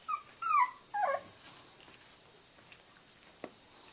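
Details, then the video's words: Boxer puppies at three weeks old, starting to play together inside: two or three quick, squeaky whining yips in the first second, followed by near silence with faint scuffling ticks. "Puppy play time"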